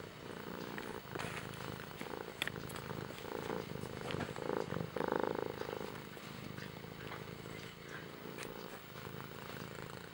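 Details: Domestic cat purring, a soft continuous low rumble with pulsing texture that swells louder around the middle, accompanied by faint rustling and clicking noises.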